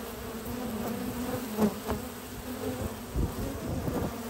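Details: Honey bee foragers bringing at least six types of pollen into the hive on a spring morning at a research lab; steady low droning hum of many wingbeats with brief louder buzzes as individual bees pass close, plus faint rustling knocks.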